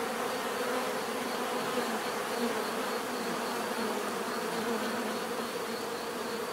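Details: Natural buzzing of bees: a constant droning swarm hum with small wavering tones drifting in and out, no pauses, level steady from start to end.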